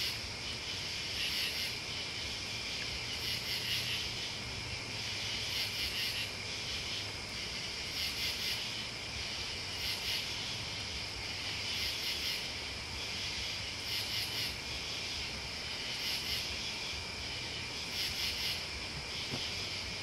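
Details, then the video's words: Steady insect chorus of crickets and bugs: a continuous shrill trill, topped by sharp pulsed bursts repeating roughly every two seconds without pause. "The Sounds Listening to Crickets and Bugs Is GOOD"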